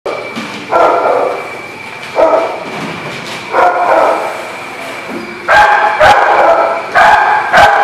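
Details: Dog barking, recorded 3/2/20: loud, harsh barks come singly or in short doubles roughly every one and a half seconds, with a steady high-pitched tone running underneath throughout.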